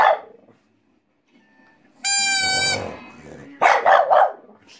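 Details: Female French Bulldog barking along to a played pipe: a bright, sustained pipe note with stacked overtones, then after a short pause three quick, rough bursts of barking in a row, with a little speech at the start.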